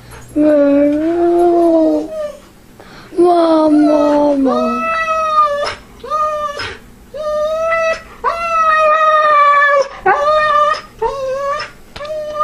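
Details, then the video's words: A husky that wants its mother howls and whines in a series of long mournful notes. Some slide downward and others rise at the end, broken by short pauses, with a person faintly speaking in the background. "samoan husky dog wants mom."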